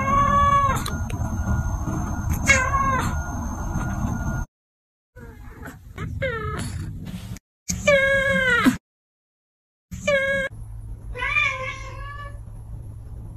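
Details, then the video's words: Meows from a young domestic cat pair, a brother and sister, recorded in August: a series of bright, high, rising-then-falling meows, some drawn out and wavering, in short bursts broken by abrupt silent cuts, with a low background hum. "younger brother and sister’s meow"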